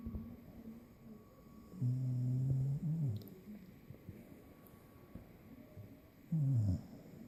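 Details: Puppy snoring deeply after a long day, low droning snores in two long bursts with a falling tail, over a quiet background hum.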